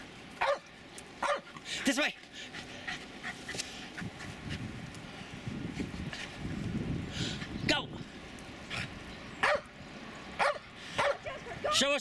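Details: Two Jack Russell Terriers, Jasper and Jaclyn, romp in the snow of a suburban St. Louis backyard, February 24, 2016; sharp single barks spaced one to two seconds apart, with human voices in between.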